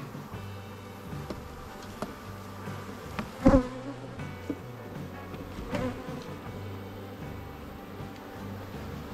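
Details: Buckfast honey bee colony, queenless, in an open hive in the morning as a beekeeper adds a primed frame while introducing a mated Buckfast queen; low steady droning hum throughout, with a few sharp clicks and knocks from the hive work.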